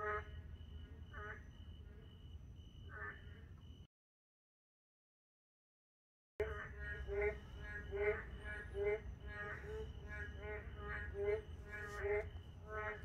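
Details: Late at night in a park, narrow-mouthed toads give bleating, harmonic croaks roughly once a second, several animals overlapping. A few seconds of silence break the chorus, with a constant high tone and low rumble behind.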